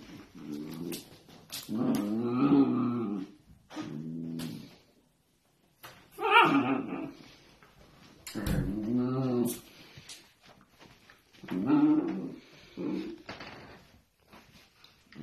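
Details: Pet Dachshund producing long, throaty, moaning grumbles in repeated phrases of about a second each. Brief pauses separate them, with a human voice faintly mixed in.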